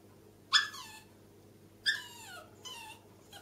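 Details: Small dogs at the top of the stairs, bichon frise Millie, chihuahua Alfie and yorkshire terrier Louie together indoors; three high, falling whines, the first two sharp and bright, the last thinner, with short silent gaps between.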